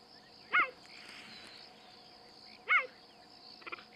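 A cheetah gives two brief, high, bird-like chirps about two seconds apart.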